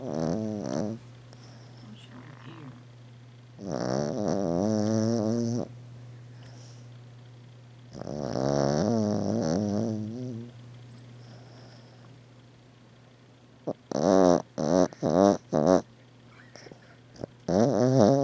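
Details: A 13-year-old female Maltese, deeply asleep indoors, snoring loudly: long wavy nasal snores about two seconds each separated by quiet pauses, then a run of short rapid snorts near the end, over a steady low hum.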